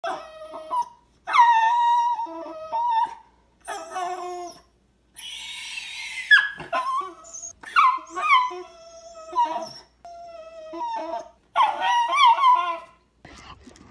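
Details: One-year-old black and silver male Miniature Schnauzer indoors, crying with excitement on seeing his poodle friend across the street through the window. High, wavering whines and yelping cries come in bursts of one to two seconds, rising and falling, separated by brief silences.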